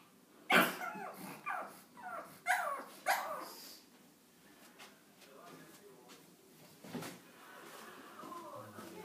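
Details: Pug dog indoors, facing a cat that blocks his way up the stairs: a burst of short, harsh barks and yelps in the first three seconds, then softer, whining sounds trailing off.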